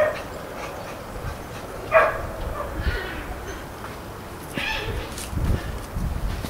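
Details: Keeshond puppy named Alpine Poppy, from the Alpine litter born 26 December 2011, gives a few short, high yelping barks spaced about a second apart against a quiet, low background rumble with faint soft noises between calls.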